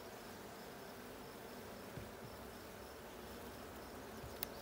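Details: A honey bee colony in the blue hive, checked on 6/20/22, with a low steady drone, a faint repeated high ticking and a few soft knocks.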